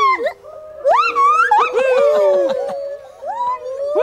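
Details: Molly, an old female gibbon at Magnetic Hill Zoo, Moncton, New Brunswick, encouraged to sing, gives her loud, pure-toned territorial song of rising and falling whoops, audible across the zoo.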